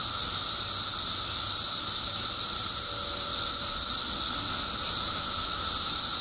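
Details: Periodical cicadas emerged in Illinois after 17 years underground drone in a loud, seamless high hiss, with a clear lower steady tone beneath, and little else audible.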